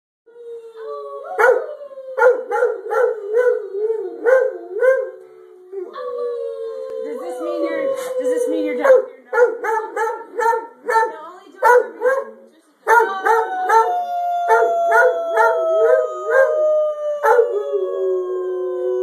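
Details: Pet dog Dreyfus howls after being coaxed into it: long, smooth tones that sag slowly in pitch, rising again in several bouts, with rapid pulsed vocal bursts and human voices joining throughout.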